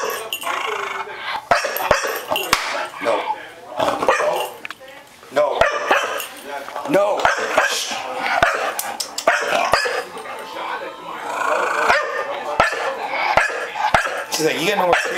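A Chow Chow lets out repeated high, whimpering barks mixed with whines, pleading for more treats. People's voices talk and laugh over the dog throughout.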